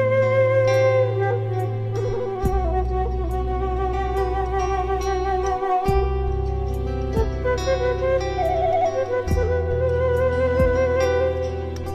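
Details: Sliding, theremin-like melodic music over sustained bass notes plays continuously, with no animal calls audible.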